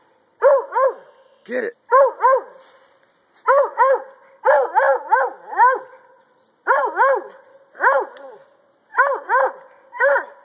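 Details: Treeing Walker Coonhound, a male dog, barking while treeing, urged on to get it on the log; rhythmic doubled barks with a harmonic, arched tone, repeated roughly every second.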